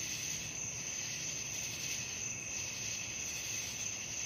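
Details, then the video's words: Crickets calling at night, presented as a sleep-inducing relaxation track: a steady, unbroken high-pitched shimmering trill with a fainter lower band, even in loudness throughout, over a soft background hiss. "suara jangkrik malam penghantar tidur"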